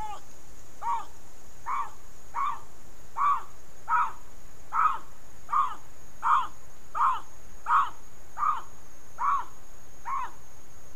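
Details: Bobcat calling repeatedly in June-July 2020, fourteen short, rough barking notes at a steady pace of roughly one every 0.7 seconds, with a thin continuous high whine in the background.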